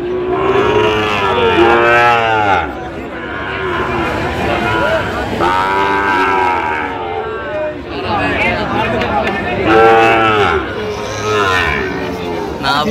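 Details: Sahiwal bull calves at a crowded market in Gazipur, Bangladesh, 27 October 2025; several strong, drawn-out moos about every four seconds, overlapping with other cattle lowing and a hum of voices.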